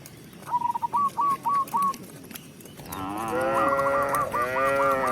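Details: Tame village cow led back to its pen by a shepherd, giving a long, rich, droning moo that starts near the midpoint and holds to the end, with quick repeated chirpy notes sounding throughout.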